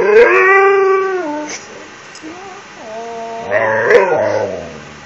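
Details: Ranger, a pet Siberian Husky, begging for an empty toilet paper roll in his nightly routine. He gives a long, wavering, harmonic howl that slides downward, then after a pause a second, lower, yodel-like run of whining howls.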